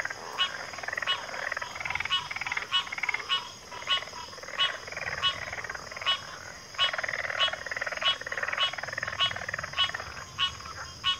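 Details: Chorusing frogs with sharp pulsed calls recurring roughly every half second over a continuous bed of buzzy trills from several other frogs.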